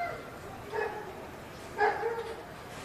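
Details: A dog barking wildly: two short, sharp barks about a second apart over a quiet background hiss.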